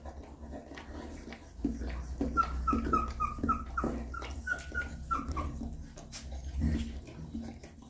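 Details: Newborn puppies with their mother dog as she cleans and feeds them: a run of about eight short, high squeaks in quick succession, each slightly falling in pitch, over steady licking and low muffled rumbling indoors.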